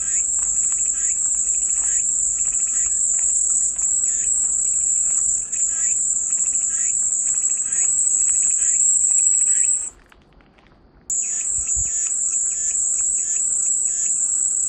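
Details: High, constant cicada whine running for about ten seconds, cutting out for roughly a second of near silence, then resuming just as steady, with faint repeated lower chirping beneath.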